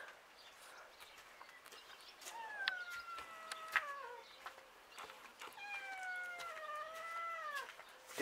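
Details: Street cats, including a black male, meowing while waiting for lunch to arrive; several drawn-out, wavering meows, some falling in pitch, with faint background noise.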